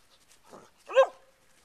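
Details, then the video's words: A Dobermann Pinscher playing with a new ball alongside camels, seeing the toy for the first time; a softer muffled sound followed by a single short sharp bark, then quiet. "Camels & Doberman play with a ball"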